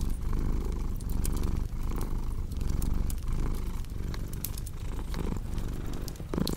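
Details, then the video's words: Cat purring loudly, its rough low rumble rising and falling with each breath about every second, accompanied by crisp fireplace crackles and pops. "Purring Cat with Cozy Crackling Fireplace Sound"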